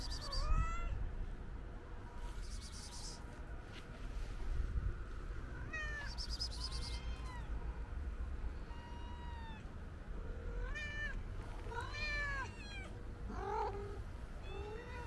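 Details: White stray cat, petted outdoors, meows repeatedly: short arched calls, some rising then falling, coming in quick irregular bursts, denser toward the end. Soft rustling of handling and steady low rumble underneath.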